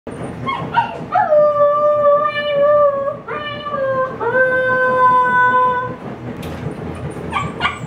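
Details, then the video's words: Young female Siberian Husky puppy left alone indoors, upset while wanting to join people outside, giving her first howls: long steady wavering howls rising at onset, with short yips before and after. "Husky puppy's first howls!"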